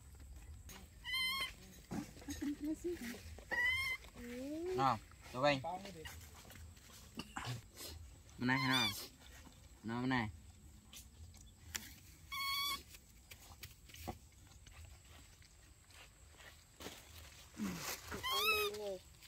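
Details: Baby monkeys in daily life giving short, shrill, high-pitched squeals with wavering pitch, scattered through the recording between bursts of people talking.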